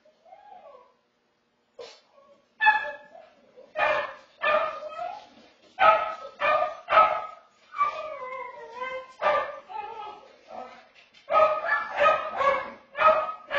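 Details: Pet dog recorded by a home security camera, howling in a long series of short, yodelling notes that rise and dip in pitch, coming in quick bursts with brief pauses, some sharper yip-like onsets.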